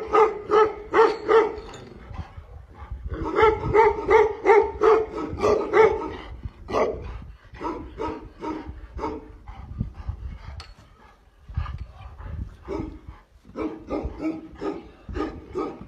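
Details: Repeated booming barks from a Tibetan Mastiff in quick bursts of several, separated by short pauses, with softer barks in between the louder runs.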